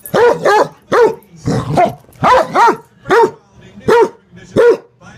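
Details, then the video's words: Basset hound being bratty, giving deep, loud, arching barks in pairs and singles, roughly every half second to second, in a steady run. "being a bratty basset hound"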